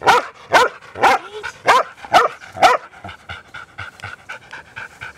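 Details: Noisy New Zealand Huntaway dogs on a Sunday walk with their owners: six strong, punchy barks in quick succession, then softer panting and faint barks fading out.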